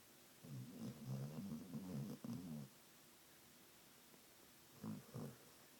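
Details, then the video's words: Sleeping pet dog Trio in the middle of a dream: a run of rapid, rumbling low snorts and grumbles for about two seconds, then a pause, then two more short snuffling breaths in a quiet indoor room. "Snoring dog"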